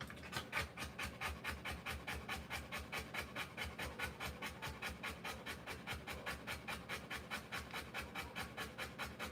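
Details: Steady, hoarse panting from a Rottweiler giving birth to puppies, each breath a short breathy pulse repeated about twice a second, with no other clear sounds.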